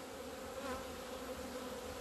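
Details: Kept honey bees leaving their hive into the sun on 17 February 2020, their first outing after two months of winter; a steady, dense hum of many bees with a low drone and an even, unbroken buzz throughout.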